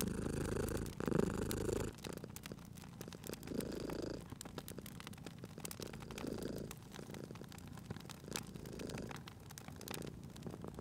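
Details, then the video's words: Low purring from a sleeping cat at a fireside, loudest in the opening two seconds, then continuing in softer rhythmic pulses beneath frequent crisp crackles from burning logs. "Cute Purring Cat at a Crackling Fireplace"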